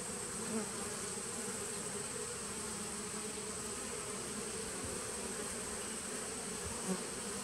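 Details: Honey bees of a nucleus colony started in 2017, recorded 19 September 2018: a dense, steady low hum of many wings, even and unbroken throughout, with a broad hiss layered over it.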